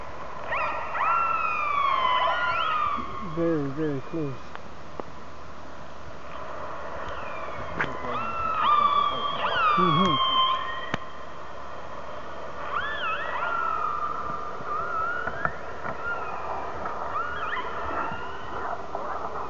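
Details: Orcas calling to each other underwater, recorded by hydrophone from a whale-watching boat out of Telegraph Cove, British Columbia: harmonic-rich pulsed calls with sharp upsweeps and downsweeps, a buzzy rapid pulse train near 3–4 seconds, over steady low engine hum.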